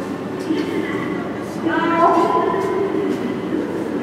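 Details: Akbar, a six-year-old male snow leopard at Maruyama Zoo, gives a long, drawn-out, tonal moaning cry over a steady background rumble on 10 January 2012. He has called occasionally since the year's end, and the owner suspects breeding season.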